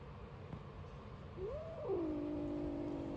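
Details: One of five 3-week-old kittens born in a small garden, making weird noises at a person: a single wavering, rising-then-falling mew that settles into a steady drawn-out tone, over a low background hum.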